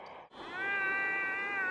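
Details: Muskox herd along the E6 highway in the Dovrefjell area of Norway, filmed July 2, 2015; a lost calf crying for its mother. One steady, drawn-out nasal bleat with flat bands, after a brief lead-in.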